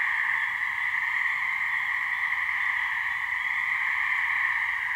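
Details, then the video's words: Gray treefrog mating calls from a New Hampshire swamp, a couple of frogs: dense, rattling trill sustained without pause, strongest in a higher band with a lower companion band, steady volume. "Gray Treefrog mating call"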